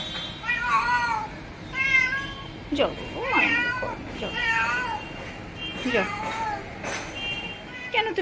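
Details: Backyard territorial quarrel between a female pet cat and an intruding stranger cat: short harmonic yowls and meows repeated every second or so, some sharply rising, while a person speaks.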